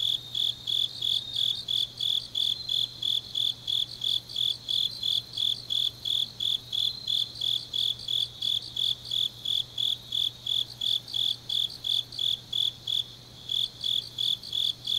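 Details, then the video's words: Night chorus of autumn grass insects from Changnyeong, South Korea: rapid high-pitched chirps about three per second, layered callers, with a brief gap near the end before the pulsing resumes; soft steady hum underneath. "깊은밤 가을 풀벌레 소리"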